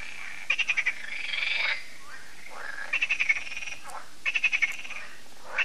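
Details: Frogs in an annual evening concert at Lac de Sabatte, a lake in France, croaking in short pulsed bursts of five or six rapid notes, with one drawn-out rattling croak between them and quiet gaps.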